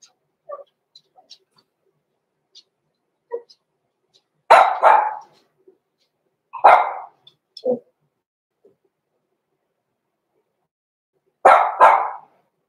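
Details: Six-week-old Cavalier King Charles Spaniel puppies, blenheim littermates Roman and Blue, born November 14, 2022, indoors in a puppy pen; faint squeaks build into sharp high barks in pairs, with long quiet gaps between bursts.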